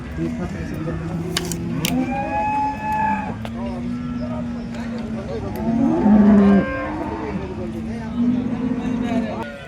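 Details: Holstein Friesian cattle at the Loni cow market on 10 February 2026: several long, low, droning moos overlap one another over steady market hubbub and background rumble.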